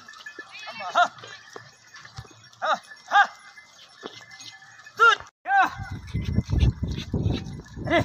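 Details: Tharparkar goats, a breed from Thar, bleating in a herd: several short wavering bleats in the first five seconds, then a louder broken bleat, with low rumbling handling noise and voices toward the end.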